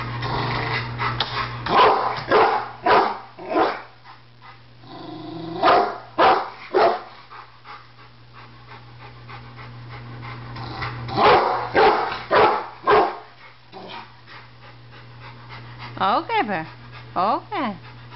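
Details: Pet Rottweiler reacting to a barbecue grill he fears will attack, a Doberman watching: clustered bursts of sharp barks around two, six and twelve seconds, quieter gaps between, then several rising-and-falling whines near the end above a constant low hum.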